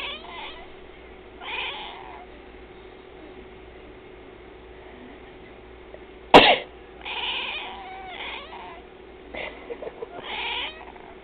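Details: A pet cat named Twilight, which meows when someone sneezes or coughs: two soft meows early, then a loud cough or sneeze at six seconds followed by several wavering meows in quick succession.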